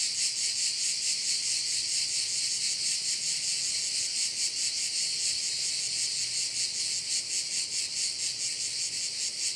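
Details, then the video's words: At a bay on Korčula, Croatia, crickets keep up a loud, sizzling high chorus, pulsing about twice each second with slightly irregular beats, a faint low hum underneath. "Korčula - view of one of the bays in Korcula with sounds of crickets"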